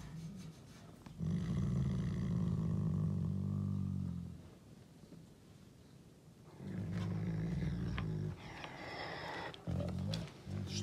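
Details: A captive male Canadian wolf that likes to dominate gives deep, rumbling growling roars in two long bursts while guarding his food, filmed on April 16, his birthday.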